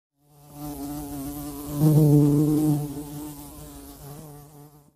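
A bee's steady, low droning buzz swells louder for a moment, then fades slightly.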